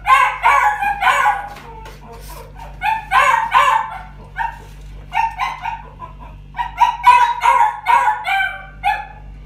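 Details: Pet-shop Chihuahua, a female with white-black and tan colouring, born 27 August 2019, gives repeated high-pitched yelping barks in uneven groups of two to four, separated by brief quiet gaps, with steady faint background hum.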